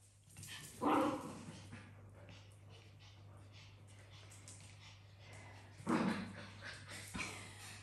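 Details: Africa the dog, trying to get tired housemate cats to play, gives two muffled woofs roughly five seconds apart over a hissing indoor background with a low hum.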